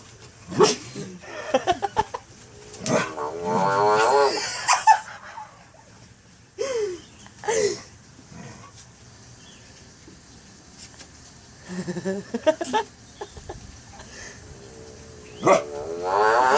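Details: A frog on a leash gives irregular, harmonic squawks and wavering cries in short bursts, with voices and laughter nearby.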